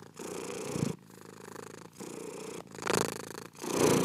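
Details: Close purr from a domestic cat, slow breathing cycles of soft rumble, louder swells near the end as the purr intensifies.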